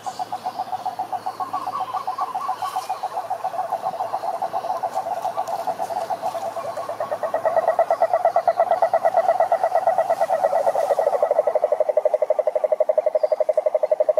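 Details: Chorus of cururu toads, Rhinella marina, at a lake in the Brazilian Atlantic Forest, wild: rapid, even pulsed trills stack over one another, a second higher rattling trill joining halfway and the chorus growing louder.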